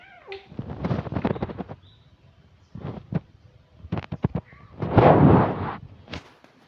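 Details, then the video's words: Ms. Oyen, an orange cat, gives her distinctive voice: drawn-out harmonic meows, one long call near the start and a louder, stronger one toward the end, with brief softer sounds and handling noises between. "ms.oyen dengan suara khas nya"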